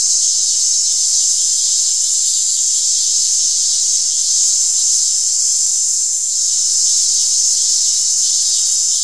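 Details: Continuous high, hissing cicada buzz held at an even, loud level without breaks, a dense shimmering whine that barely wavers across the whole recording.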